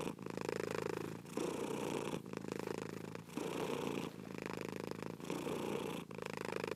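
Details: Cat purring steadily, a dense vibrating hum rising and falling in regular breath cycles, each phase lasting about one second with tiny breaks between them.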